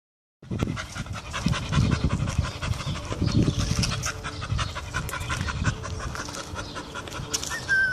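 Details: A Bull Terrier, one of a 3-year-old male and a 2-year-old female, pants heavily in quick, rhythmic breaths, with low snuffling close by.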